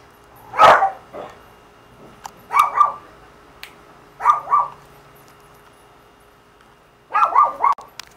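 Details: Dog barking while other dogs are outside, described as jealous, recorded on a Samsung CL-65 camera; short double barks come in four bursts a second or two apart, each bark harmonic and sharp, over quiet background.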